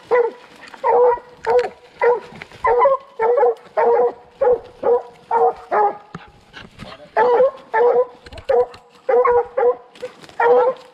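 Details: On a 2020 coon hunt, young Redbone Coonhounds Hades, a male in his second season, and Copeland's Redhot Maple, a first-season female, bark in a fast, even chop of about twenty short, ringing barks over eleven seconds.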